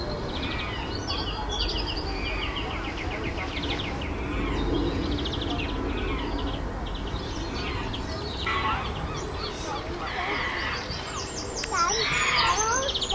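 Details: Chimpanzees on Chester Zoo's Chimp Island, tense after a new baby's arrival, alpha male Carlos controlling the group amid fights and displays; distant chatter builds into loud, harsh overlapping screams near the end, with bird chirps high above.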